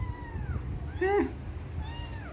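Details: Domestic cat indoors meowing: a soft falling cry, then a short rising-and-dropping meow, then another faint downward cry, over a low steady room hum.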